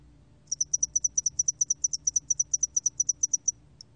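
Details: A single three-second run of about twenty-five high, crisp, evenly repeated pulses from the spotted-wing hairy cricket, ending with one isolated tick.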